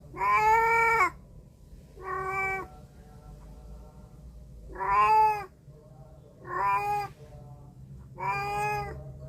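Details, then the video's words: Domestic cat recorded on a Samsung A53 phone microphone, giving five drawn-out, slightly nasal meows spaced about two seconds apart, over a faint low steady hum. "Cat sound effect"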